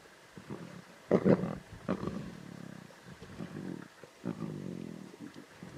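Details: Lion cubs snarling and growling at a zebra carcass in the Timbavati, Kruger area: short rough snarl bursts around one second, then lower rumbling growls, with quiet pauses between.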